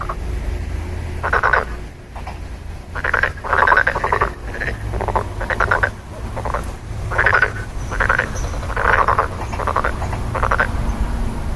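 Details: Frogs croaking in rough, pulsed rattles, one after another with brief gaps, some overlapping, over a low background hum.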